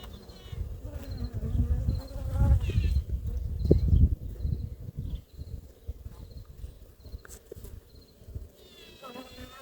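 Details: Newly introduced honey bee queen piping now and then while being accepted into a beekeeper's hive, Ankara, 2 May; piping said to introduce herself and gather supporters. Brief rising tonal toots over a loud low colony hum, with faint repeated high beeps.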